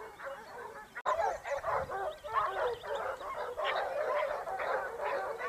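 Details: Basset Hounds of the Topsfield Lebrera pack on a hunt in Spain, 2015-16 season; a dense, loud chorus of overlapping bays and yelps, with a sharp click near one second.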